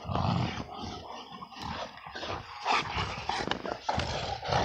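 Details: In winter snow, an XL American Bully wrestles while letting out a low rumbling growl at the start, then harsher, rasping growl bursts and panting noises that continue to the end.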